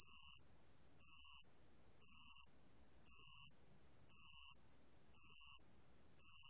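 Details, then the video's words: Bell cricket song, National Institute of Biological Resources, 2020. Seven high, pure, bell-like chirps, each under half a second, pulse at a steady rate of about one a second against near silence. "알락방울벌레, 여러번 듣기, 곤충소리"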